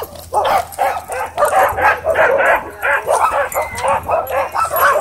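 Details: At a dog park, an aggressive husky pins a dog. A rapid, steady run of sharp barks and high yips, about three a second, fills the whole stretch, with faint human voices beneath.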